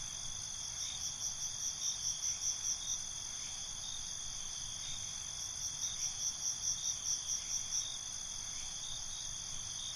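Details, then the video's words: Crickets singing at night, a continuous high shimmering trill with two separate bursts of rapid, evenly spaced chirps, one early and one later, each lasting a couple of seconds, over faint low hiss. "Cricket Conversations"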